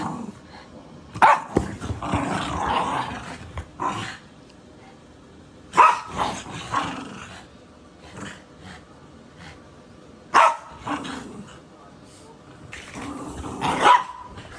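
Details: Puppy indoors giving short sharp barks followed by rough growling, the bursts coming roughly every four to five seconds, four times in all, with quiet gaps between.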